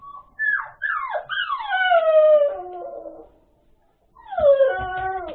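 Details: Puppies whimpering and howling indoors: several drawn-out whines slide downward in pitch with rich overtones, one after another, then a short pause before another falling whine begins, with faint thumps and rustling underneath.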